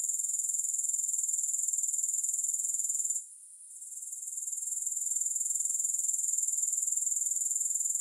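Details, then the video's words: Grasshoppers, with no music, give a steady, piercing high-pitched trill pulsing about four times a second. The trill briefly drops out and softens just past the three-second mark, then swells back to full strength. "Grass Hopper Sounds"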